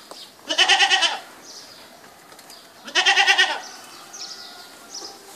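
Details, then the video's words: Goat bleating twice, each call a loud, wavering, nasal bleat lasting about half a second, roughly two and a half seconds apart, with faint high chirps in the background between calls. "اصوات ماعز goat sounds"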